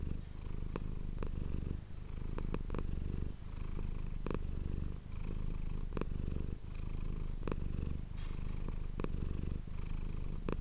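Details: Manis the domestic cat purring steadily indoors into an ASMR microphone; the deep rolling rumble runs for over ten seconds, with regular brief breath breaks about every one and a half seconds and faint rustling.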